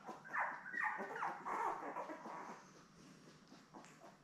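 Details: A week-old litter of seven Labrador Retriever puppies lies indoors with their mother Belle. Overlapping thin, wavering whines rise and fall for about two seconds, then fade to quiet shuffling.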